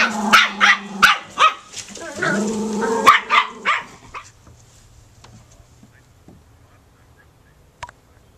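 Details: Quick run of high puppy yaps, about three per second, lasting four seconds before falling quiet; faint low hum and a single soft click remain afterwards.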